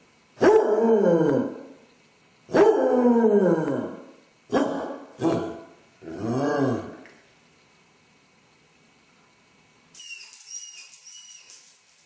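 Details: Basset Hound left alone at home, caught on a camera with separation anxiety, giving five loud baying barks with falling tones over seven seconds, then a thin high whine after a pause.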